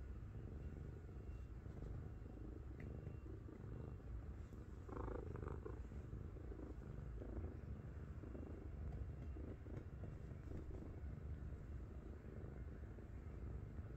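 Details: Heavy 7.5 kg domestic cat lying on its owner's belly, purring loudly like a tank: a continuous low rumbling drone throughout, steady and unbroken, with faint soft rustling in the background.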